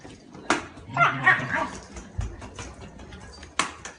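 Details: Shiba Inu outdoors in a fetch game with a ball, letting out brief squeaky whines and a soft yip around the one-second mark, framed by sharp knocks and a low thud, with faint background rustling.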